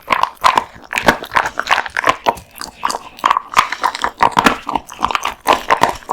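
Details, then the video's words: Raw meat and bones being chomped by Kotetsu, a male American Bully dog, indoors; rapid moist chewing and smacking, crunches repeating several times per second throughout. "Dog eats raw meat bones"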